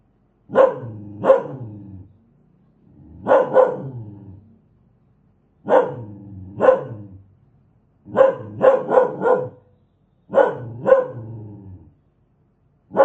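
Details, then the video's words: Fierce dog giving about thirteen harsh barks, mostly in pairs, with one quick run of four, separated by short silent gaps; nothing else audible. "Suara anjing galak"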